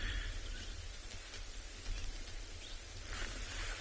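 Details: Only low rumbling outdoor noise and rustling are heard, with no distinct animal calls.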